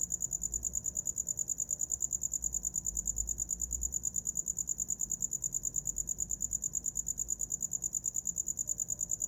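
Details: Cricket chirping recorded for sleeping to, an unbroken train of shrill, evenly spaced pulses at high pitch, slightly uneven in loudness, over a soft low rumble.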